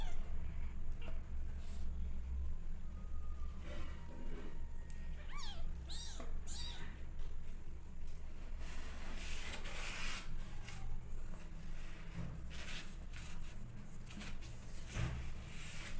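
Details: Rescued orphan kittens, not adopted by the mother cat and bottle-fed, crying with hunger for milk: thin high mews that rise and fall, clustered mid-clip, over a constant low hum with scattered clicks and rustles.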